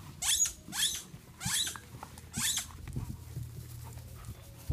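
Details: German Shepherd named Skye, celebrating a second birthday in a garden; four breathy, raspy pants roughly every 0.6 seconds, then softer, quieter breathing with faint low background noise.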